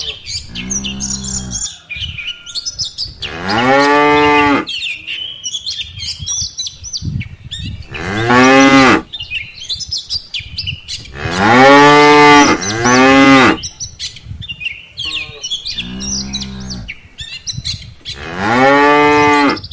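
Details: A herd of dozens of tame cattle, cows followed by calves, walking home to the barn from a rice-field pasture. About seven deep, drawn-out moos, two nearly back to back, with gaps between, and small birds chirping high above.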